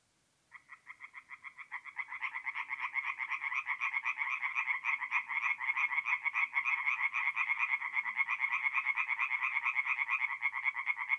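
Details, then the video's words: Tree frogs at a night-time forest pond in north-east Italy in mid-April: after a short silence one frog starts spaced croaks, then others join and the rapid pulsed calls build into a dense, loud chorus. "relaxing forest pond by night with singing tree frogs"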